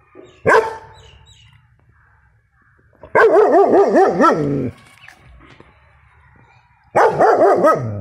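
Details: Protective six-month-old German Shepherd pup barking loudly: one sharp single bark, then two long, deep, quavering bursts about four seconds apart, against a quiet indoor background.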